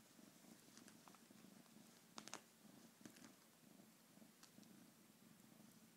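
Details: Domestic cat purring steadily, a low rumbling band with pulsed texture throughout, broken by a few brief clicks and rustles near the middle.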